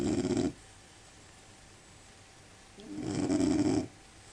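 A sleeping Labrador Retriever snores, with two rough, rasping breaths separated by a quiet pause.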